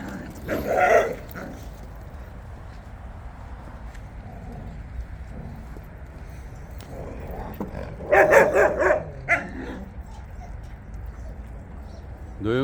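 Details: Jindo dogs on a walk: a short burst of barking near the start and a louder cluster of barks about two-thirds through, with long quiet stretches and soft human voices between.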